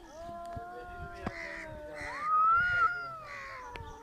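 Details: Domestic cats trying to fight, giving drawn-out, wavering yowls with strong harmonics that rise into a louder, higher wail midway and then slowly sag, with faint clicks and thumps behind.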